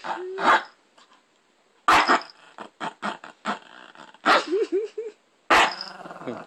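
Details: Shih Tzu guarding a TV remote it holds hostage, growling and snarling in rough bursts with sharp barks, some short wavering whines, and a person speaking and laughing between.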